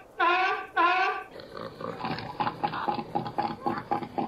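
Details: Seal giving two long, loud, harmonic moaning calls, followed by a series of rough, pulsed grunting bursts repeated roughly every quarter second.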